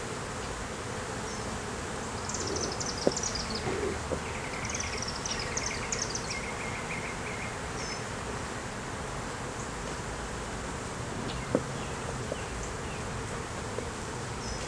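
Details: Honey bees droning steadily during a beeyard hive inspection, in a hive where a laying queen and honey were found, recorded on a Canon Rebel T6 DSLR; a dense low hum underneath, with small birds chirping high in the background.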